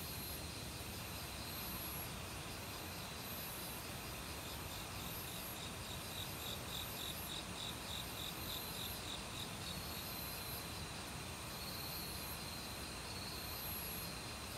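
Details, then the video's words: Autumn cricket chorus in a forest alongside various insects: a burst of rapid high pulsed chirps midway, later a few longer thin trills, with faint very high ticking above and a loud flowing stream throughout. "가을 귀뚜라미 소리"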